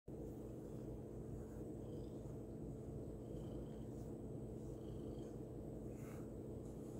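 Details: Senior Birman mix rescue cat, a female, purring softly while being brushed, which she enjoys; a steady low rumbling purr runs throughout, with faint brushing strokes and small rustles above it.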